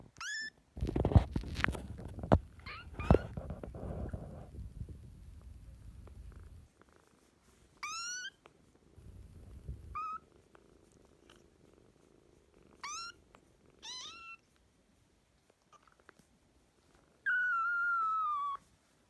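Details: Kitten sisters fostered in spring 2017: a low pulsing rumble fills the first six seconds, then a series of short, high mews rising and falling, spaced a few seconds apart, ending with one longer, steadier mew.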